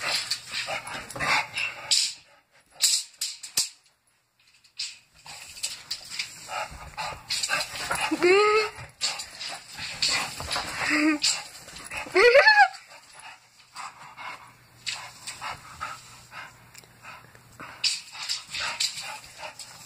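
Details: Bulldog kept as a pet, playing with a tape measure, giving short rising whines and squeaks, two to three in a row, between rustling, clattering play noises and brief quiet gaps.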